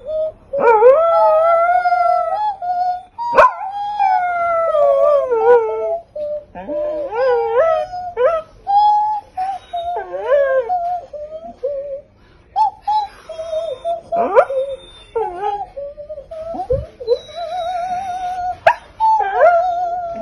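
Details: Pitsai the dog tries to sing with its owner, producing a long string of bending, warbling howls and short whiny notes, rising and falling, separated by brief gaps.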